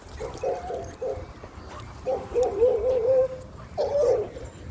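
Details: A Cane Corso at a dog park, reacting to new dogs, gives high whining cries: short broken whimpers, then a long wavering whine and a final rising one, with outdoor rumble and a person speaking softly nearby.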